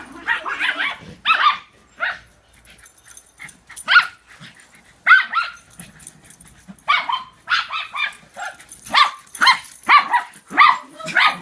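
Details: Excited barking during a follow-the-leader chase among three dogs; a cluster of quick barks opens, then scattered single barks with gaps, building again to a fast string of yappy barks near the end.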